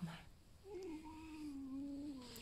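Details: Pet fox Alf, resting indoors after an energetic night and not unwell, gives a sustained, slightly wavering creaky whine lasting well over a second, gently falling in pitch, with a soft murmur of a person's voice nearby.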